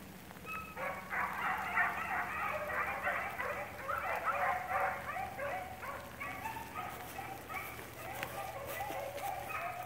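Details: A pack of line-controlled beagles bays together in overlapping, rhythmic bursts of musical yelps while tracking cottontail, bluetail and swamp rabbits.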